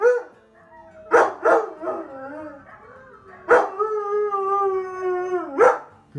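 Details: During a try-not-to-howl challenge, Onyx the husky lets out sustained, steady howls, each opened by a sharp bark-like onset and holding a level tone for about two seconds.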